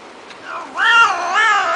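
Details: Domestic cat giving a soft, short lead-in note followed by a loud, drawn-out meow whose pitch wavers up and down, then swells once more before cutting off; no other sounds stand out.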